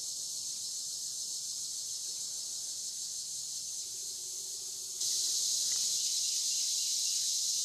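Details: Cicadas calling on the Licking River in Morning View during a dusk-to-dawn session: a continuous high, hissing buzz that suddenly swells louder about two-thirds of the way through as more callers join in.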